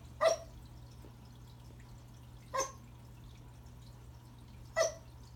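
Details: Remington the Pembroke Welsh Corgi barks at a new toy under the Christmas tree, three short barks about two seconds apart in a quiet room with a steady low hum.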